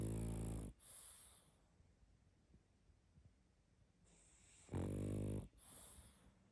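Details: Loud, rattling snores from a sleeping pug, one opening burst and another about four seconds later, each preceded by a softer wheezing inhale, steady quiet breathing between.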